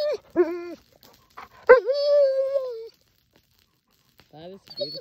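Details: Fish, a male Alaskan Malamute kept apart from two females, Sojou and Dotty, while they were in heat, sings his love song to them: drawn-out wavering howls with rich harmonics, short whimpers between, and a woman's voice talking to him.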